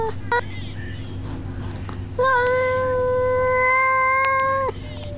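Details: Male domestic cat telling off another male cat, two males together indoors: a long, steady, tonal yowl held for over two seconds with rich harmonics, preceded by short clicks and brief yelps, over a low steady hum.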